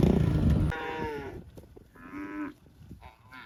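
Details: Cows mooing: a loud, deep, rough bellow opens, followed by shorter, higher, tonal moos that bend in pitch, with some background rustle.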